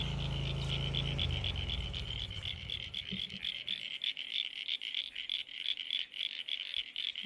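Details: Frogs calling at a garden pond: after a brief low rumble, a dense chorus of fast, even, high-pitched pulsed croaks repeats rapidly, about four per second, with soft background noise.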